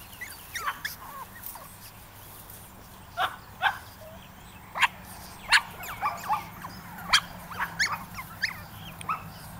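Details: Puppies on their first outing, May 2010, giving scattered short high yips and squeaky whimpers, several overlapping in bursts, against a quiet outdoor background with low hum.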